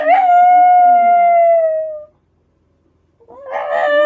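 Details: Black Shiba Inu pet dog, a daily howler since about four months old, howling at a passing scrap-collection truck: one long, clear, steady howl held about two seconds and sagging slightly at the end, then silence and a fresh howl starting.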